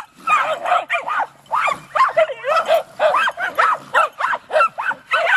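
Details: Jagdterriers, two young dogs facing their first raccoon, with an older dog showing them how; sharp high yelping barks come in quick bursts, roughly two or three per second, with brief pauses between runs.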